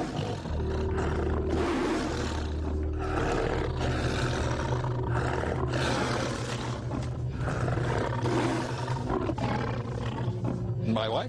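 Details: A tiger's deep, forceful roar rumbles steadily over a low, droning, music-like bed; tigers use infrasound in the roar to intimidate prey and to communicate over long distances.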